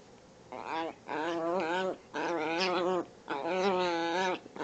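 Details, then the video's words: Pet Chihuahua playing in the morning, giving three long, wavering, whiny growl-moans with rich harmonics, each lasting about a second and rising and falling in pitch, separated by short pauses. "Chihuahua plays and makes funny noises"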